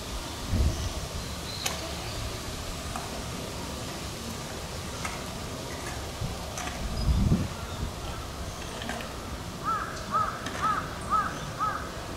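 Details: A silverback western gorilla at Hamamatsu Zoo chews vegetables on a windy day: sparse, sharp crunches and soft low thumps, with a bird chirping near the end; crows and temple bells may be heard.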